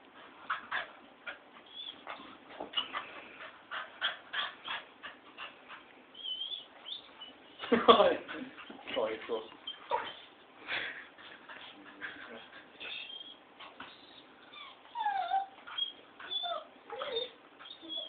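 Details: A pet dog barking at lights indoors: rapid high whines, yelps and short barks in dense bursts, one loud sharp bark near the middle, with tonal whimpers rising and falling later on.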